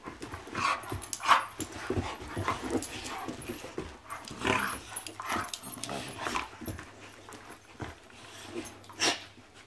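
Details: Two puppies playing indoors; a busy stream of short yips, soft growls and scuffling bursts, irregular, with thumps and rustling throughout.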